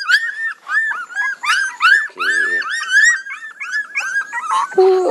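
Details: Crying puppies give a steady stream of arched, high-pitched whimpers, one after another with little pause, and a lower, buzzier moan near the end.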